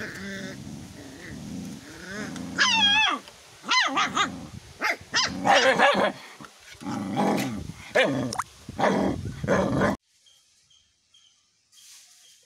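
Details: Angry caged puppy, first time in the cage, barking at a bigger dog: a rapid series of high, yelping harmonic barks and whines mixed with growly bursts for about eight seconds, then near silence with faint tones.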